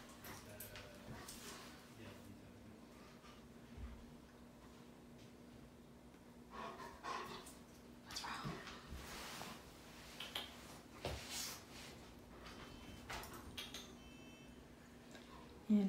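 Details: Female Alaskan Malamute at the vet for her booster shot, inspecting and smelling everything in the office, here the cookie jar; soft, breathy sniffs in short bursts, mostly between seven and eleven seconds, over a steady low indoor hum.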